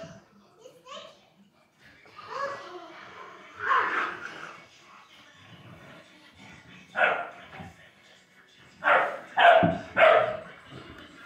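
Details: An 11-week-old Bullmastiff puppy playing with children indoors. Voices and playful noise at first, then a single bark, and after a pause three barks in quick succession.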